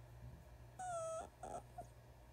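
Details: A young female rescue fox kit gives a thin, tonal whine, then two brief softer squeaks, whining in approval while getting belly rubs.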